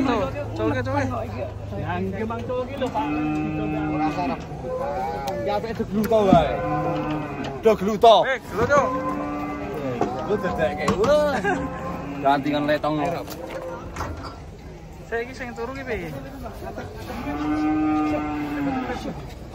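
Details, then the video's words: Giant cattle, agitated and raging while being unloaded from a truck, give long, drawn-out moos one after another, each steady and slightly falling at the end, with brief gaps, faint voices and handling noise between calls. "SAPI RAKSASA NGAMUK TURUN DARI TRUK"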